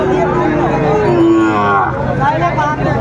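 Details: Sahiwal bull calves at a cattle market in Cumilla, Bangladesh, on 18 October 2024; a moo slides down in pitch and then holds a low, steady tone. Dense crowd chatter and voices surround it.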